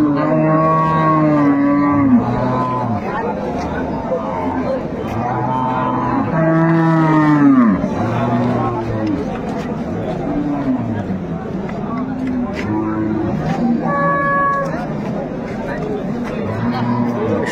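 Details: Cattle at a livestock market in Ambari, Dinajpur, Bangladesh, where improved-breed dairy cows and calves are sold on 25 August 2025; several long, harmonic moos, rising then falling, over steady crowd talk and a man speaking.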